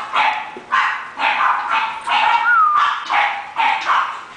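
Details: Close, loud barking from Taury, an English bulldog being sold, with roughly eight short yaps, one run blending into a brief rising-and-falling whine-like tone midway.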